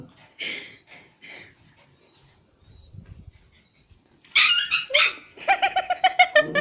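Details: Two pet dogs in Kathmandu, Nepal, a Pomeranian and a Japanese Spitz, at play: a few soft yips, a quiet pause, then loud sharp barks and a fast series of about eight high yelps.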